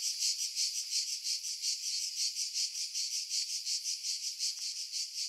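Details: July 2018 cicada chorus from pines above Pefkos Bay on Skiros, Greece, recorded with a Sony camera and external mic; continuous shrill buzzing throbbing in rapid regular pulses, wind noise filtered out.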